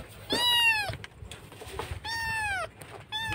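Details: Kitten crying loudly, missing its mother, in a rescue setting in Indonesia: three loud harmonic meows, each arching slightly then falling, about half a second long with short gaps, over a low hum and soft murmured voice.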